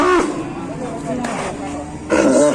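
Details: A cow lowing with a very loud voice likened to a dragon: one long, steady, low harmonic bellow of about two seconds, then a sharper, louder vocal burst at the end, over a background hiss.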